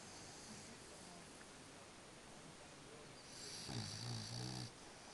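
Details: French Bulldog snoring while asleep: one deep, rasping snore of about one second near the end, with harmonic low rumbles, after several seconds of quiet room hiss.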